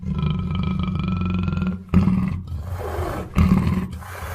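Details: Black panther giving deep, rumbling roars, a long throaty growl followed by two shorter sharp bursts, with a steady low hum underneath.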